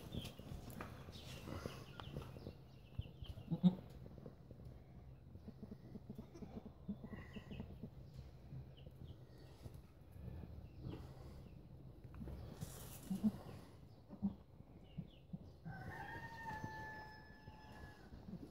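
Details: Romanian goats in April 2015: a steady low rumble and scattered knocks, then near the end a drawn-out, nasal, harmonic bleat holding level before fading, with a shorter bleat just before it.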